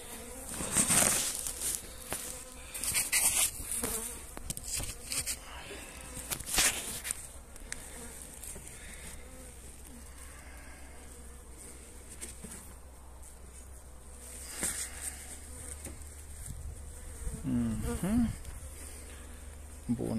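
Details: Buzzing honey bees during winter feeding with energy cakes on 29 January, in mild, pleasant weather; a continuous wing hum runs under repeated bursts of clicking and crackling handling noise, louder in the first seconds and again near the close.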